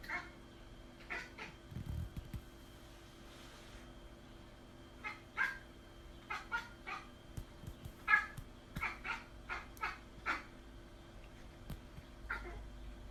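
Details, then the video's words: Cat giving a run of short, high, clipped mews, about fifteen over thirteen seconds, some in quick pairs, quiet against a steady low hum. "Crazy Weird Cat Noises"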